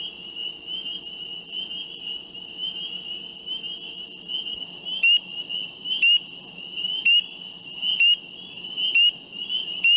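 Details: Spring peepers calling near a lake: a dense, unbroken high-pitched chorus of peeping notes holds steady throughout, with sharp clicks breaking in roughly once a second during the second half.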